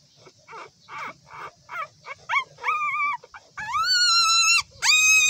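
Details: Newborn puppies whimpering, starting with soft breathy squeaks that build into louder bent whines, then two long sustained high cries, the second rising sharply at its start, all close and clear.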